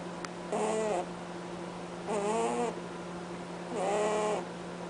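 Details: Cadbury the bunny honks while asleep; three nasal, slightly wavering snores spaced about a second and a half apart, each lasting around half a second, above a constant background hum.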